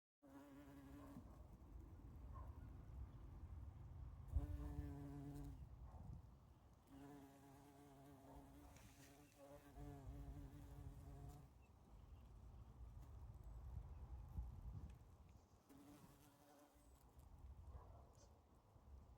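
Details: Bumblebee among spring flowers, its low droning buzz coming and going in several bursts of a few seconds each, steady in pitch, with soft outdoor background rumble between passes.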